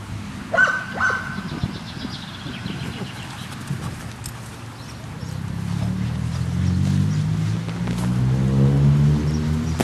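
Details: At a dog park, a dog lets out two quick harmonic barks early on, followed by a steady, low droning hum that slowly rises in pitch, like an engine.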